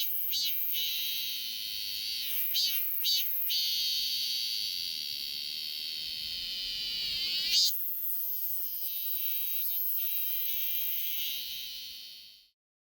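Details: Robust cicada singing in summer: a few buzzy pulses, then a long, steady, high-pitched drone that runs on and finally stops, leaving silence.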